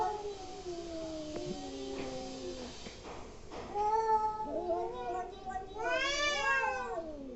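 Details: Angry cats make weird noises, long sliding moans that dip lower, a faint knock, then rising harsh yowls ending in a loud, shrill, wavering scream that falls away.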